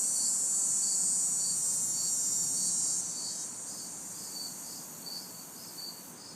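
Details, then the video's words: Crickets and cicadas in a city backyard on a hot, humid summer night. A steady, very high shimmering drone drops in loudness after three seconds over evenly spaced high chirps, about two per second. Faint distant traffic hum lies beneath. "Summer Night Sounds ~ Crickets, Cicadas"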